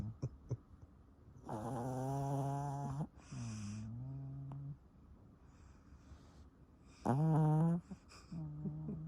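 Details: Snoring of the Pomeranian Sunoama, nicknamed a little old man: a long, drawn-out rasping inhale, a lower humming exhale, then a pause before another short loud snore and soft breath, with faint clicks at the start.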